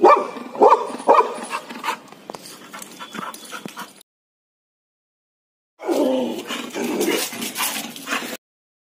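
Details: Pet Labrador Retriever Laddu barks at a monkey: a rapid run of harsh, uneven barks for about four seconds, a silent pause, then another burst of loud, noisy barking.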